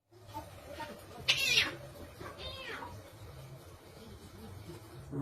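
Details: Fighting cats give two strained, wavering yowls, the first sharp and high, the second a harmonic wail that rises then falls, over steady low background noise.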